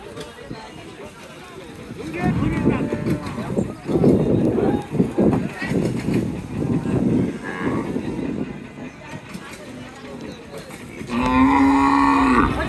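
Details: Beef cattle at the busy Chhatra haat livestock market in Naogaon, Bangladesh, on 20 May 2024. A loud, deep, drawn-out moo with strong harmonics closes the stretch after several seconds of crowd chatter and market bustle.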